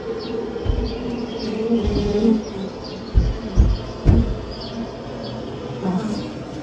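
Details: Maltese honey bee buzzing in a steady low hum with layered overtones, swelling and fading over several seconds, with a few dull knocks midway and faint high bird chirps in the background.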